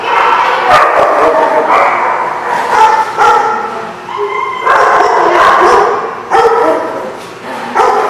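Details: Several dogs barking together, recorded 26 August 2016: dense, overlapping sharp barks and higher yips in bursts with short gaps, a loud and continuous chorus.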